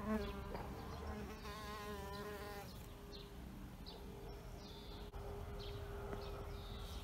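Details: Buzzing bee around an insect hotel. The wing drone shows a wavering harmonic pattern early on, then flattens into a steady hum. Thin, high bird twitters recur throughout.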